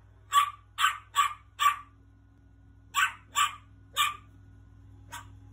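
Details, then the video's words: Angry little dog barking in sharp, high yaps: a burst of four quick barks, a pause, then three more and a final faint one, over a low steady hum. "Angry little dog barking"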